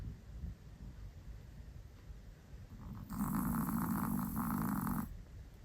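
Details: Quiet breathing from a pet Chihuahua builds into a loud two-second snore, a harsh rattling drone with a slight dip in the middle, then fades back to soft breaths.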